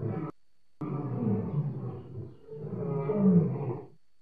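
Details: Lion, July 2016, with low, throaty roaring and moaning, a brief cut to silence near the start, then sustained rumbling roars that rise and ease off.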